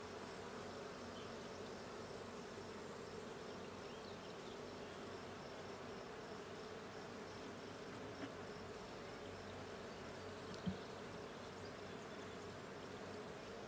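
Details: Honey bee colony humming inside a blue hive during a 20 June 2022 inspection; a long, even drone of massed wingbeats with a single sharp knock partway through.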